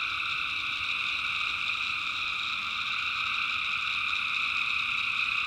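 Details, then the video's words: Tree frogs at night in backwoods North Carolina, personally recorded, producing a constant high, buzzy chorus of many overlapping voices at even loudness from start to end. "personally recorded sounds of tree frogs at night"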